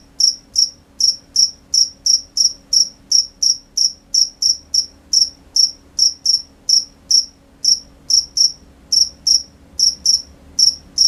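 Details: Crickets calling at night, crisp high chirps in a fairly even run of about two per second, sometimes paired closely, against a hushed backdrop with a faint steady drone.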